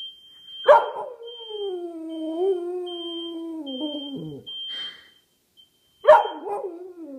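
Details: Pet dog howling along to a fire alarm sound sample: a long, mournful howl of nearly four seconds that slowly sinks in pitch and breaks at its end, then another howl begins, with regular high alarm beeps behind.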